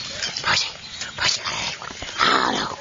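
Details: Chinese Shar Pei puppy making three short, high whimpering yips about a second apart, each a thin rising squeal, while a person talks softly to it.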